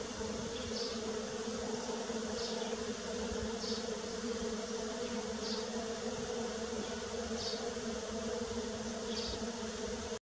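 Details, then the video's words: Steady bee drone in early spring, a full, even buzz holding one pitch. Soft high chirps repeat at regular intervals of roughly one and a half seconds in the background. "Bee Sounds _ Early Spring"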